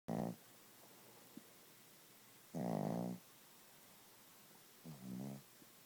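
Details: Gidget the Chihuahua snoring loudly while asleep: three rasping, buzzy snores with a low droning base, spaced unevenly about two seconds apart, the middle one longest and strongest, in a quiet room.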